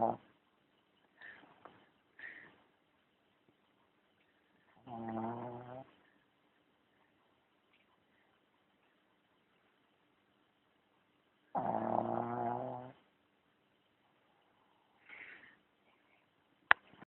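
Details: Sleeping dog Charlie snores twice, roughly six seconds apart, each a low droning buzz over a second long, with faint soft sounds and a sharp click in the quiet between.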